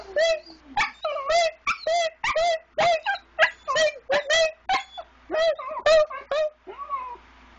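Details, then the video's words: Pet dog singing first thing in the morning while still dark, prompted by a person's singing: a long run of about fourteen short yodeling howls with wavering, harmonic-rich tones, some rising then falling, spaced under a second apart, ending in a softer drawn-out whine. "Singing Dog"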